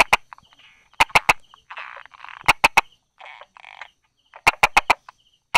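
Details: Brauer's tree frog calling from among rock crevices and grass on 22 July 2016, mid-morning: crisp 'da-da' clicks in clusters of three to four, separated by short bursts of low buzzy, rasping croaks.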